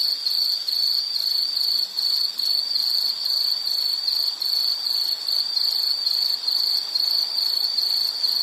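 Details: Insect in a nature setting keeps up a shrill, high trill broken into rapid repeated pulses, roughly two or three per second, with slight gaps in loudness and quiet background hiss.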